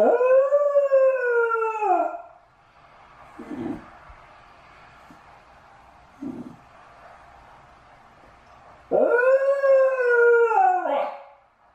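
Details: Shiba Inu left home alone while its companion dog is out on a walk, howling repeatedly out of loneliness; two long, drawn-out wavering howls, the first falling away at the end, separated by quiet with faint knocks.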